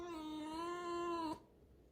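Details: Pet fox, a female indoors, defensive about being touched, holds a single steady squeaky whine for over a second, level in pitch with a slight rise near the end, then stops abruptly.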